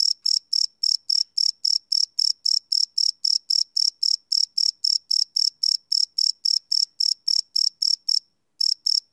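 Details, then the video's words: Live night recording of cricket chirps: a fast regular series of shrill pulses near four per second, stopping briefly near the end before resuming, otherwise silent surroundings. "Cricket Chirp Sound - Cricket Sounds at Night"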